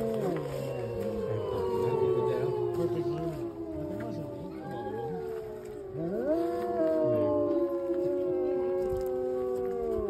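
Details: Gray wolves (Canis lupus) at the Lakota Wolf Preserve on March 5, 2023 chorus-howl in reply to a fire siren, long wavering tones overlapping and sliding up and down in pitch.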